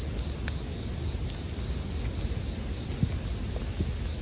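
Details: High, steady ringing of bell crickets fills the recording, with light popping and crackling from a fire in the background.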